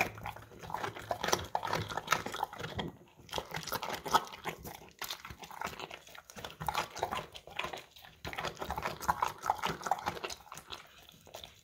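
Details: Golden Retriever of the English Cream type chomping crunchy carrots out of a bowl: long stretches of busy, rough crunching broken by two short silent gaps, the bites coming fast and irregular.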